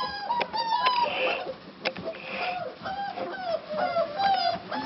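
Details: Cane Corso puppies from litter A2 at Corso Di Munteanu Kennel, sired by Wolf Corso Imperium out of Eclipse Corso Di Munteanu, whimpering in several overlapping thin, high whines that rise and fall, with soft knocks and scuffles between them.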